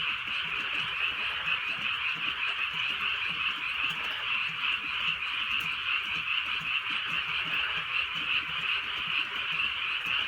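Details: Rural night with gentle rain and a full chorus of frogs; overlapping croaks blend into a constant, slightly throbbing trill of even loudness, a few soft raindrop ticks audible above it.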